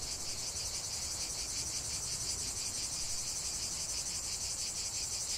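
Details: Many cicadas in full song, a high sizzling buzz with quick rhythmic throbbing, slightly quieter, with some low background noise.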